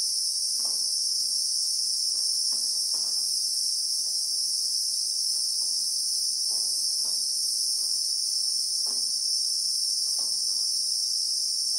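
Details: Real-time recording of Christmas beetles in the South African bush with acacias: a constant piercing metallic whine that never pauses, with faint dull knocks sprinkled irregularly underneath.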